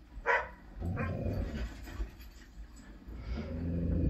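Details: Watching his own snowy chase footage on TV in February 2021, Irish setter Bo gives one short sharp bark, followed by rough panting and low huffing sounds that fill the rest of the moment.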